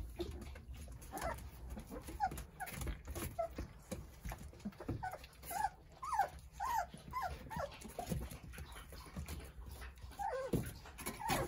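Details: Nine Jindo puppies playing under the care of their mother Sarang, indoors; a busy run of thin, high, arching whines and yips, several per second in bursts, over soft pattering and shuffling.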